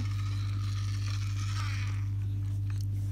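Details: Loud steady electrical hum with a few higher tonal lines and a soft broadband rustle, and no animal voice.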